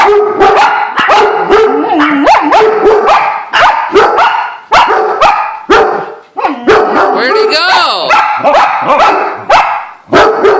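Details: Excited dog sounding the alarm at a squirrel, giving a long run of loud, sharp barks roughly twice a second, broken by a brief wavering whine, with a person's voice mixed in.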